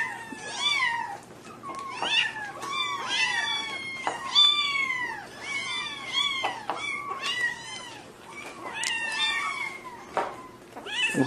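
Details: Kittens crying out in a steady stream of short, bright meows, each bending up and then down in pitch, several voices overlapping and tumbling over one another.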